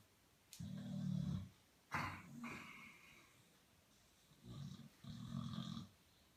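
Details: Duffy the dog asleep and snoring so loudly the television cannot be heard: deep, rasping, low snores in repeated breaths, each lasting about a second, with short quiet gaps between.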